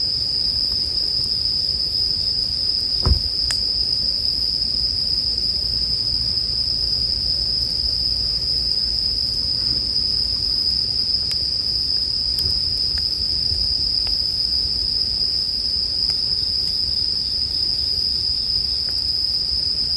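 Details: Bell crickets sound a steady, high, metallic ring throughout a soothing campfire ambience; a distinct wood crack comes early, followed by lighter scattered pops over a low background murmur.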